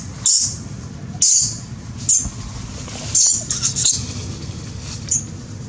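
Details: Crying baby monkey, terrified and mistreated by a big female, gives piercing shrill screams in short bursts about a second apart, some doubled, over a steady low background rumble.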